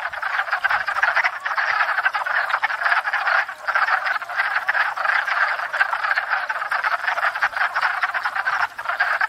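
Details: Many wood frogs calling together at a spring pond during courtship and breeding after thawing out: continuous rattling chorus of quacking croaks, dense and even throughout, a faint low bump near the start.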